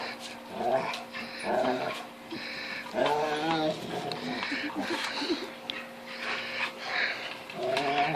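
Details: Female Rottweiler crying indoors in frustration while trying to bite into an unbreakable 10-inch wiffle ball toy, recorded on a phone; short high whines and yelps in bursts, with chewing and plastic knocking and a steady electrical hum.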